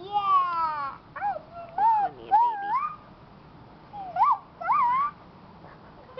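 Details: Keeshond puppies giving loud, clear whines: bending, wavering cries that rise and fall in pitch, mostly in short bursts about six times over six seconds with quiet gaps between, the first cry longest and sliding downward.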